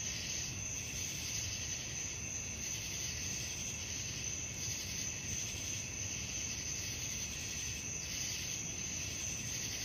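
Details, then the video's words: A steady high cricket trill at night, pulsing in regular swells, set against a continuous low background rumble with no other distinct sounds. "suara jangkrik malam penghantar tidur"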